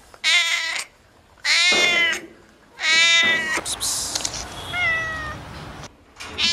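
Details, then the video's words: Domestic cat meowing in a compilation of noisy cats and kittens: three loud, drawn-out harmonic meows about a second apart, then softer, higher falling mews and a short final call. "Funny Cats and Kittens Meowing Compilation October 2020"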